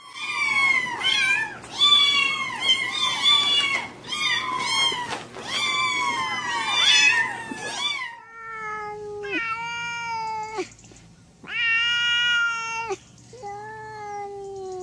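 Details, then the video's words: Cats and kittens meowing, each with its own voice: a rapid run of short, chirpy meows for about eight seconds, then a different cat giving slower, evenly spaced, flat meows with pauses between them. "cats meowing"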